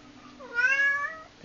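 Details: Domestic cat indoors calling its owner to the kitchen: a single clear meow rising then gently falling, drawn out for under a second, with a faint steady hum behind it.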